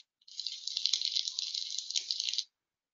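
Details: Dense snapping shrimp crackle at night, compared to frying bacon; an unbroken hiss of rapid high clicks lasting about two seconds, then cutting off to silence.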